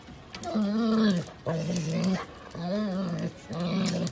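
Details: Golden Retriever giving four drawn-out, low, harmonic moaning growls, each about a second long and separated by short pauses, steady in pitch with a slight rise and fall.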